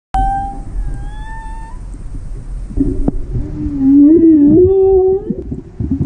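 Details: Whale calls heard during a whale-watching outing: a short steady tonal note opens, then a long wavering moan that dips and rises in pitch, rich in overtones, swelling louder toward the end before stopping abruptly.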